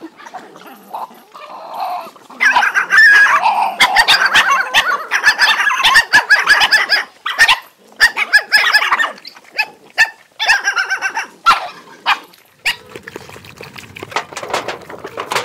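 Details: Many hungry dogs eating and fighting over food: dense overlapping snarls, growls and short harsh barks in busy bursts, with brief quieter gaps and clattering noises between.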